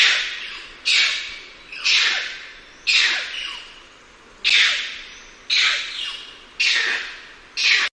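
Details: Bonnet macaque (Macaca radiata) giving harsh, hissing screech calls, one burst roughly every second.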